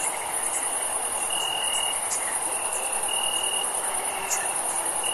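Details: Summer night crickets chirping: a dense high trill sustained the whole time, overlaid by a lower insect trill starting and stopping in bursts of about one second, amid steady background hiss.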